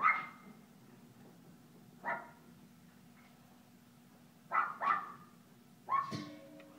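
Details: An Alaskan Klee Kai puppy playing at a doggy day care; a few short, sharp barks and yips spaced a second or two apart, the last followed by a steady tone in the background.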